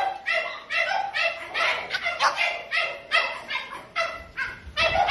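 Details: French Bulldogs in a kennel giving rapid, high-pitched yapping barks that overlap almost without pause, several voices calling at once.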